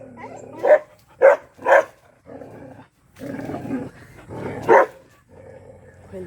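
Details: Black Bhotiya dog barking angrily, with three sharp barks early on, low growling rumbles between, and another hard bark near the end.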